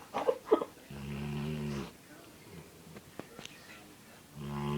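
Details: Sleeping Labrador after a long day, snoring: a low buzzing rasp held for about a second, a quiet pause with faint breaths and clicks, then another rumbling snore beginning at the end; brief knocks at the start.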